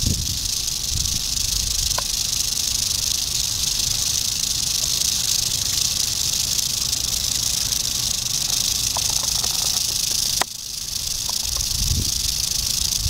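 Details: Eastern diamondback rattlesnake dated 8/27/11 rattling in a continuous, steady high hissing buzz for about ten seconds, breaking off abruptly, then resuming slightly softer; a few faint clicks and low rumbles underneath.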